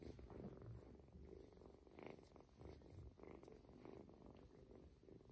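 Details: Close purring of an adopted ginger tomcat kitten being massaged on the belly, drowsy and pleased; thick low vibrating purr, rhythmic inhale-exhale swells about once a second.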